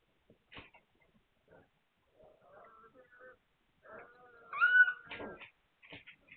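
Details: Hungarian Vizsla puppies, recorded 9 March 2021: soft scattered squeaks build to a loud, high, wavering whine in the middle, followed by a few short squeals, in an otherwise quiet room.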